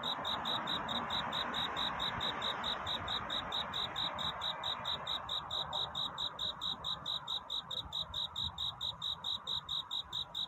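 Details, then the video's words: Night-time cricket courtship song at dawn: bright, high-pitched chirps in a regular train, roughly two and a quarter per second, louder toward the end, over gentle low-level ambient hiss. "귀뚜라미 울음소리. 슬퍼 말아요 우는 것이 아니라 사랑을 찾는 노래랍니다 구애의 밤"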